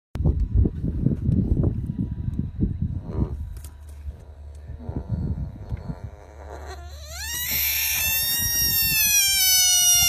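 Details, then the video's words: Bullfrog screaming: after several seconds of low rustling and thumping, a loud, sustained, strongly harmonic scream begins, first rising sharply and then holding a high, steady, piercing tone to the end. "Screaming Bull Frog Full Version"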